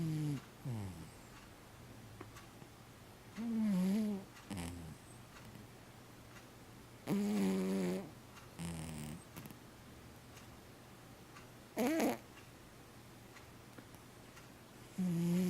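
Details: Domestic cat snoring: irregular wheezy, nasal, tonal snores at a low pitch, each lasting about half a second to one second, in scattered bursts separated by quiet breathing pauses.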